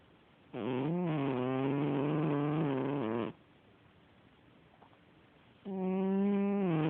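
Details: Sleeping domestic cat snoring: a loud, droning, buzzy rasp lasting about two and a half seconds, a quiet pause of roughly two seconds, then another snore beginning, steady and low-pitched with a slight wavering.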